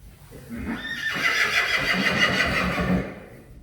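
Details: Friesian horse from a herd kept in the Netherlands, whinnying while a mare's mane is being washed of sticky dirt: a loud, wavering, rapidly pulsing neigh lasting about two seconds, with Dutch speech before and after.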